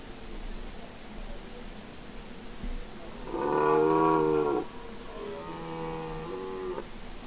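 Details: Red deer stag roaring during the rut on Mont Lozère in the Cévennes National Park, France, 2016: one loud harmonic bellow lasting about a second, then softer, fainter roars from farther off.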